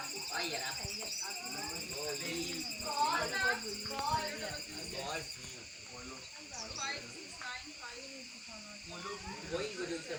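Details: A cicada perched on a tree on a warm day drones in a steady, high-pitched buzz while people talk nearby; cicada call.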